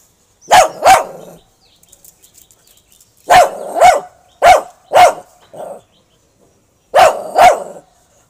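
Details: A Shih Tzu puppy barks in quick pairs of sharp, high yaps at a rat caught in a trap.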